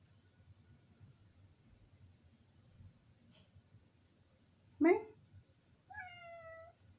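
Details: Village cat asking to have the door opened, calling from above the kitchen; after a quiet room, a sharp short burst is followed by one drawn-out, slightly falling meow at the end.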